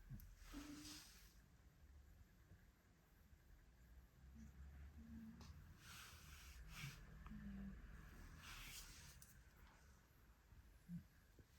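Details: Maine Coon named Django asleep on a hand-shaped armchair on a Monday morning, snoring softly indoors: low, rough rumbling breaths rising and falling, with a few brief squeaky nasal notes and light rustles between them.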